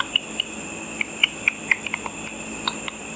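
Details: Bats hunting insects over a lit pool at night give echolocation calls, made audible by an ultrasonic frequency-divider detector, as quick dry clicks and pips at irregular intervals.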